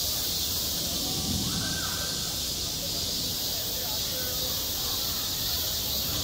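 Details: Cicadas crying on a hot summer day at a school playground, their steady high sizzling buzz unbroken, with a faint voice and low background rumble below.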